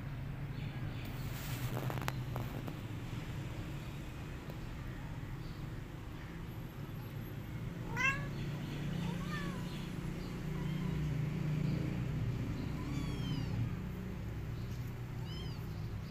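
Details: Domestic cat mother back with her kittens after two days, nursing them; a few thin, high mews with curved, rising-then-falling harmonics come at scattered moments over a steady low background hum.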